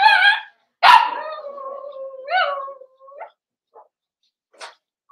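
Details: During a socialization session with bigger dogs, Cavalier King Charles Spaniel puppies in their pen give a harmonic yelp, then a sharp bark trailing into a long, sliding whine, another tonal yelp and scattered small yips.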